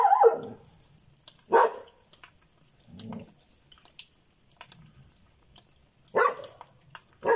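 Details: Šarplaninac dog barking in short separate bursts, several loud sharp barks spread over the stretch with a lower, softer bark between them and quiet pauses.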